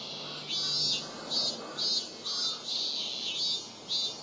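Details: At Rokugo Shrine in Ota, Tokyo, a Robust cicada produces shrill, regular pulses roughly twice a second over a steady high buzz. Recorded on a Sony PCM-M10.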